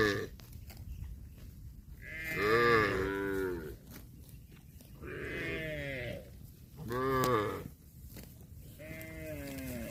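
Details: Bulls competing over a female cow to mate give three drawn-out, harmonic moos about a second long, each starting high and sliding downward, with quieter lowing in between and faint background noise.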